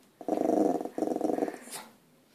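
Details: Puppy indoors growling to scare deer seen outside: two pulsed, rough low growls, each about two-thirds of a second, separated by a short break, followed by a faint breathy tail; quiet room.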